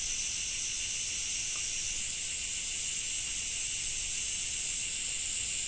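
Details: Cicadas in a rainy Japanese summer, droning without pause: an even, high, hissing shimmer of layered buzzing voices, with no other clear sounds.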